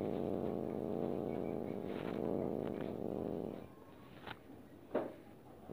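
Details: Pet cat voicing displeasure at being petted: a steady, rumbling low growl for over three seconds, then fading to quiet with a few faint knocks and rustles.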